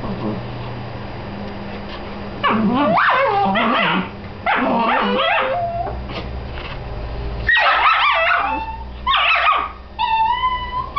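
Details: Two Dachshund sisters squabbling over who gets to be inside a tee pee growl and grumble in rising, whiny bursts, with human speech in the background.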